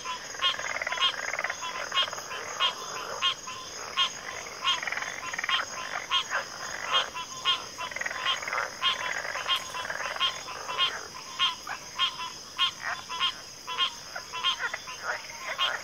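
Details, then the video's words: Dense frog chorus with many voices overlapping into a continuous churning wash of pulsed croaks, carried on a steady shrill drone in the background. "FROGS - Pig Frogs, Water Frogs, Backwater Chorus, & Frog Chorus"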